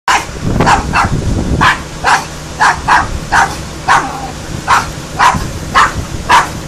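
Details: A dog barking loudly, a rapid series of sharp, harsh barks about twice per second with uneven spacing, each bark a broad burst, over a low steady background hum.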